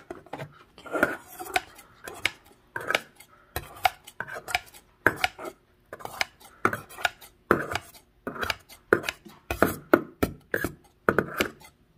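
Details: Rhythmic bursts of clattering and chopping-like knocks, like dishes and utensils in a small room, repeating about every half second with no animal voice.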